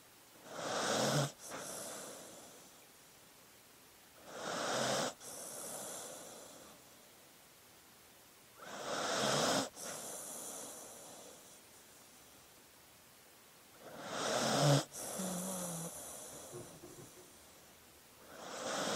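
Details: Dog snoring in deep sleep, four to five raspy inhales spaced three to five seconds apart, each building to a sudden cutoff, with soft hissing exhales and a brief snort near the end.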